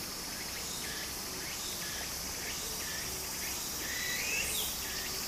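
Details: Cicadas singing in summer near a stream in Japan: a continuous piercing high drone with a quicker series of short buzzy phrases below it, plus one brief rising whistle near the end and gentle water sound.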